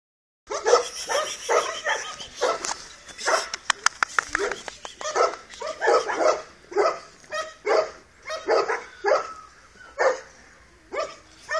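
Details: Two-month-old Dogo Canario puppy named Tyson barking in a rapid series of sharp, high yaps, some clustered in quick bursts, with a few clicking knocks around the middle.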